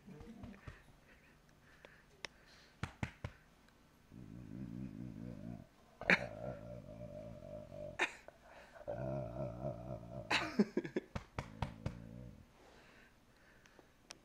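A Rottweiler makes a deep, vibrating purr-like rumble in several long bursts, with a person speaking softly.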